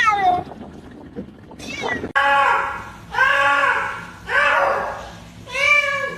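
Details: Domestic cat giving a series of loud, drawn-out harmonic meows, three long wavering calls after a short squeaky one, about one per second and a half.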